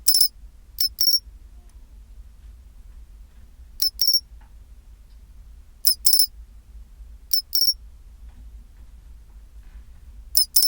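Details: At 24°C a pine cricket gives its chinchirorin song, clear high tinkling chirps grouped in twos and threes, returning every two seconds or so against a quiet background with faint low rumble.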